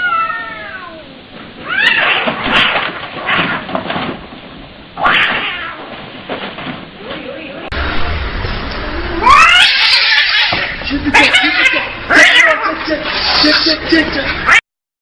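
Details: Kittens meowing in a series of short cuts, high wavering cries with stacked harmonics, some rising then falling, mixed with people talking and changing background noise between scenes.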